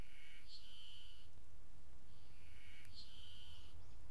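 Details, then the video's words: Ezo spring cicada singing on 16 June 2012 at Maruseppu, Hokkaido, giving a repeated, high, two-part phrase against a quiet, low background rumble. "エゾハルゼミ 鳴き声"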